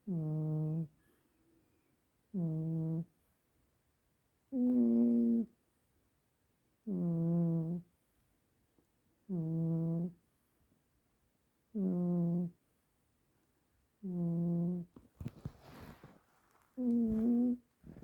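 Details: Juniper the cat snores melodically while dreaming: eight voiced, humming snores, each under a second long, repeating steadily about every two and a half seconds in a quiet room, with a brief rustle near the end.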